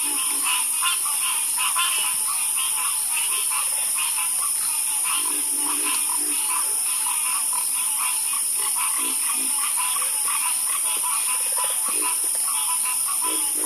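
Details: Frogs croaking in a dense chorus for sleep relaxation, overlapping rapid calls pulsing steadily throughout, with a constant high insect-like hiss in the background.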